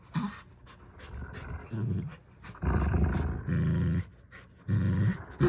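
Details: Low, sustained growls from two dogs tugging at a new toy duck, coming in long steady stretches of about a second each, separated by quieter pauses.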